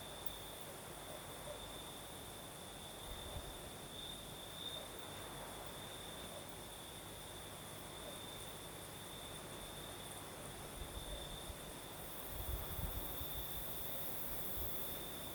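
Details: Crickets sing through a Crimean southern night with a night breeze, an unbroken high trill running the whole time, over gusty low rumbles near the end.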